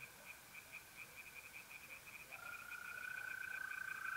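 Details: Tree frogs singing by night in a pond in North-East Italy in mid-April: a steady, fast series of high pulsed notes from distant callers, joined halfway through by the loud, smooth, unbroken trill of a mole cricket.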